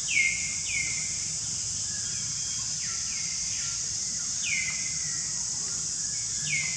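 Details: Baby monkey calling out toward the person filming, with clear high whistled notes that slide downward and level off, about five of them spaced unevenly over several seconds, over a steady loud high-pitched hiss.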